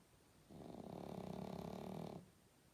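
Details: Sleeping pug snoring: one long, harsh, rattling breath lasting about a second and a half, rising in from a quiet indoor background and stopping abruptly.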